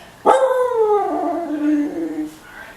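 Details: Sapphire, a female husky, asking for food at home: a sharp onset into a drawn-out, harmonic-rich vocal that slides downward from high to low and holds, like a long husky 'talking' whine.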